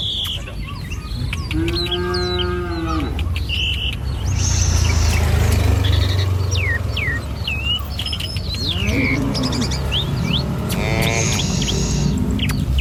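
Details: A herd of tame cattle strolling down a rural village road on a morning walk toward feeding grounds. One clear lowing moo early, a softer one later, and frequent high bird chirps and tweets throughout over a low background rumble.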